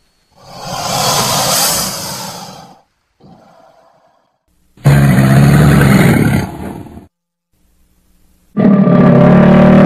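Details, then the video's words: Crocodile sounds in loud bursts: a long breathy, rasping roar, a faint low grumble, then a harsh two-second growl and a deep harmonic roar that starts near the end. "Suara BUAYA asli"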